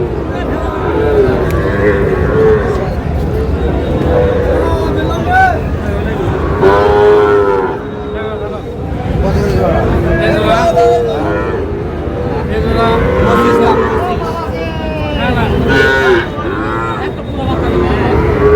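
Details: At a crowded Chattogram cattle market selling Sahiwal bull calves, repeated deep moos swell and fade across the scene, half-buried in loud human voices, price calls and background vehicle rumble.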